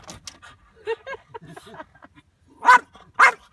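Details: Corgi greeting a dog friend: soft murmurs and faint voices give way to two loud, sharp yipping barks about half a second apart near the end.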